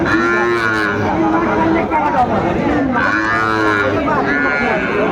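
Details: Sahiwal bull at a cattle market in Madaripur, Bangladesh, 10 September 2024: two long, deep, harmonic moos, the first in the opening second and another near the fourth, over steady crowd chatter.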